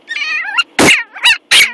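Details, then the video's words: Ten-week-old Yorkshire Terrier puppy giving high, squeaky yips: a wavering whine that slides upward, then three short sharp barks about every third of a second. "10 week old Yorkie, cutest bark ever!"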